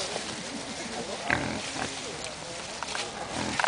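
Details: Wild boar, sows fighting with no adult male present, squeal and grunt in short bursts in woodland, over a rough, rustling background.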